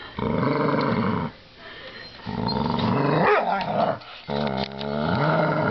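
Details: An American Staffordshire Terrier tugs at a coat hanger, growling in long low rumbling stretches of about a second each, broken by brief pauses and a rising whine-like slide.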